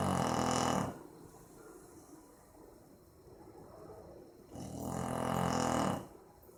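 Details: Boxer named Maizena asleep, recorded 18 April 2015: two deep, rasping snores, the first opening the clip and the second about four seconds later, with quiet breathing between.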